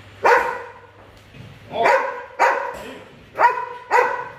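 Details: A very large 47 kg Belgian Malinois barks during an obedience training session at a Saigon kennel: five sharp, harmonic barks in about four seconds, loosely paired, with quiet pauses and a low steady hum between them.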